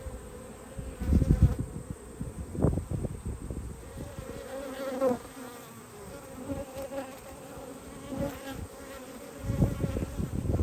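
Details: Honey bee colony droning during a hive inspection dated 19/3/22: an even, low buzzing hum runs through the clip beneath repeated thumps and scraping from frames being handled.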